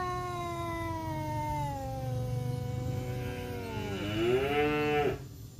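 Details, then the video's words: Male village cats, a black one and a striped one, in a forest fight: a long, slowly sinking moaning yowl turns into a rising, wavering, intensifying howl before cutting off abruptly after about five seconds. "KUCING MEONG MEONG BERANTEM ADU GERAMAN TANPA HENTI DI HUTAN"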